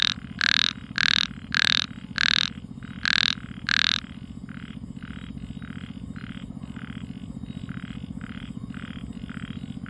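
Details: Small frog calling on a quiet night, six loud, short croaks spaced about half a second apart in the first four seconds, then softer calls repeating steadily, over a constant low hum.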